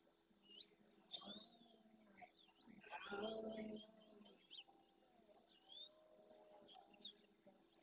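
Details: Red deer stag with his herd of hinds and young in the Doñana National Park marshes, Andalusia, Spain, roaring at dawn during the rut while courting females and warning rival males; one harsh, broad roar of under a second, surrounded by chirping birds.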